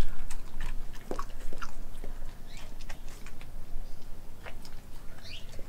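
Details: Australian Kelpie German Shepherd mix named Nala chewing a raw meat meal indoors; soft smacking and crunchy bites come in irregular bursts over steady low-frequency noise.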